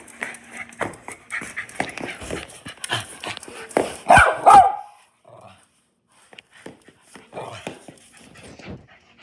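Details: Pet dog grumbling in annoyance at being stopped from barking at a visitor, giving a run of short, uneven growly vocal bursts that peak in a louder grumble near the middle, then fall quiet before softer mutters return.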